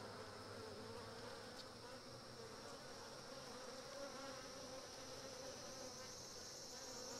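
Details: Japanese honey bees engulf a Japanese hornet to cook it in a bee ball, producing a constant low, rough buzz with a steady thin high tone throughout and little change in loudness.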